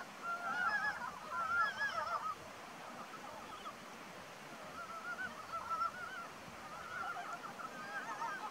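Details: Ezo brown frogs (Rana pirica) in April give a chorus of throaty, wavering clucks that overlap and rise and fall.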